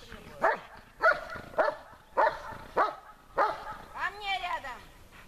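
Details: German Shepherd named Besser in protection training, barking at the helper under harder conditions; six loud, sharp barks in a steady series about every 0.6 seconds, followed by a man's voice speaking.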